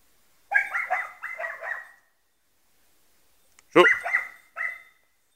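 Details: Croatian Sheepdog barking in two quick bouts of sharp, high, clipped barks, the first running about a second and a half, the second shorter, separated by a long quiet pause.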